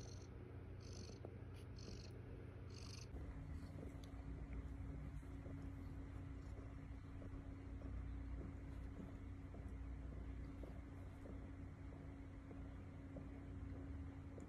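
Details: Eighth-morning purring from Estella, a foster mother cat with her kittens: a deep, unbroken rumble with a steady low hum; high pulsed chirps sound for the first three seconds, then fade, leaving just the purr.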